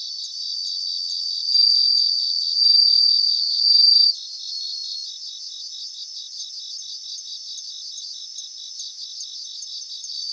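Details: Bell crickets in Japanese grassland: a few bright ringing bursts early, then only a dense, evenly pulsed high insect chorus continuing steadily to the end.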